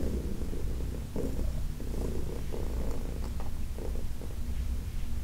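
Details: Low continuous purring from Heidi, an elderly adopted cat, while being massaged; a deep, even rumble with brief bursts of brighter handling and rubbing sounds over the drone.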